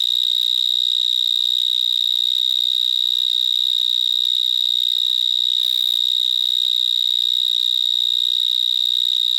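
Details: Stridulation of the vineyard mole cricket, Gryllotalpa vineae, recorded near a bigger individual among vines in Gironde, France: a sustained, very loud high-pitched buzzing whistle with no pauses, briefly overlaid by a soft rustle near the middle.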